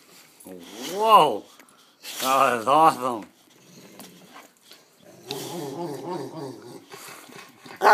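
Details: Happy growling from Bode, a Rottweiler Newfoundland mix who loves his mom, with rising-and-falling moaning vocal swells, then a stretch of low pulsing rumble, mixed with human voices.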